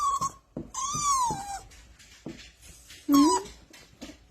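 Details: A Jug (pug mix) puppy whines in high, drawn-out notes that rise and then slide down, as if pleading for a nap.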